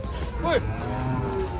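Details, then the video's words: Belgian Blue cattle being loaded onto a truck, agitated: a short, strained vocal sweep dipping in pitch, set against a continuous low hum and faint background voices. "S4p1 NG4MUK SAAT PROSES NAIK KE TRUK"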